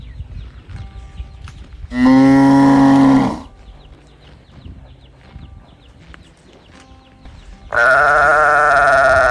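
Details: Calf mooing while searching for its mother, two long bawls about five seconds apart, each over a second in length. The first is steady and low, the second is higher and slightly falling. Quiet background between them.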